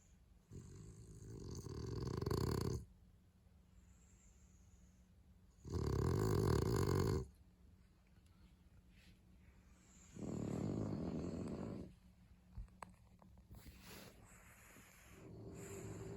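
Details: Two French Bulldogs asleep, one snoring in long rasping drawn breaths of roughly two seconds each, three loud snores separated by quiet pauses of several seconds, with faint higher wheezy hisses between them.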